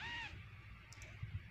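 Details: Kitten giving a short, high, slightly falling mew at the start and a brief mew beginning at the end, with low background rumble and faint voices.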